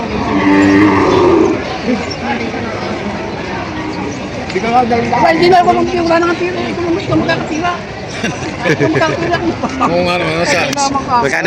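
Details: Market cattle at Padre Garcia, Batangas, photographed for sale on July 17, 2026. One strong, rich moo opens the sequence, then the crowd takes over with talking, shouts and scattered clatter.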